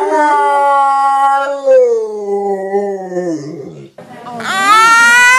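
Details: Dog doing its 'talking' vocalizing: a long tonal, howl-like whine that slides slowly downward for over three seconds, then a short break and a higher, wavering yowl at the end.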